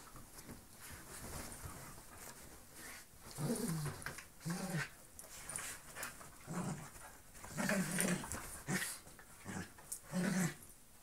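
A bull terrier gives low, rough growls and grunts in short bursts during play.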